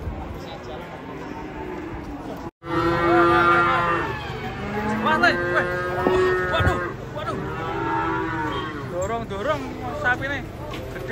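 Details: A large cow being pushed and circling while cattle are unloaded from a truck in Indonesia. Drawn-out, strained mooing repeats over about eight seconds, mixed with shouting people.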